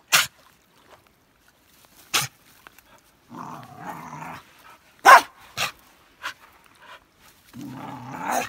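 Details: Norwegian Elkhound named Elsa at the beach, excited over sand and sticks; two spells of low, buzzing growls between loud clicks and knocks, likely from the stick.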